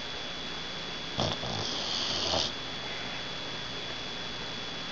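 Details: Sleeping dog Roxxy, head dangling off the couch edge, lets out a rough, airy snore of just over a second, starting with a sharp catch, over constant hiss and a faint steady high whine.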